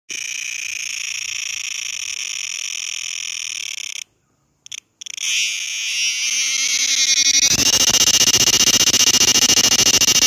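A cicada gives a shrill, steady high-pitched drone that breaks off, then returns as a loud pulsing buzz.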